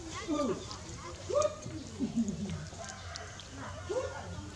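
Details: Baby monkey Dewdew calling loudly for its busy mother, repeated arching cries rising and falling about once a second, with thin overtones, over a low steady hum and faint background voices.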